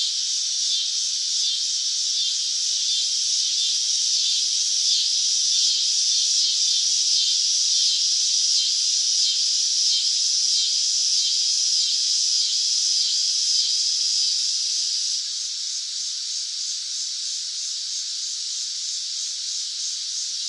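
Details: Cicada singing in summer, a dense continuous high buzz with a fast pulsing texture, steady throughout and dropping slightly in loudness toward the end; no other sounds.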